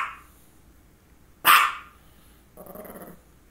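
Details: Female dog with focal seizures before and after, barking: one sharp loud bark in the middle, followed by a short low whine-like growl, quiet room.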